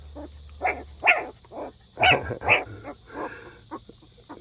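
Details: Rural stray dog, abandoned and wandering for three years, mother of six puppies, giving a run of short, sharp barks and yelps in irregular bursts, the loudest pair near the middle, with soft outdoor background.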